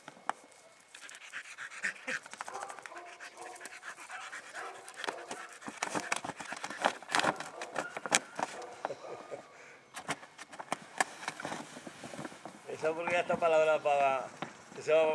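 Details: Puppies panting: rapid, irregular breathy bursts of about three or four per second for most of the recording, ending with a louder voiced, harmonic sound in the last few seconds.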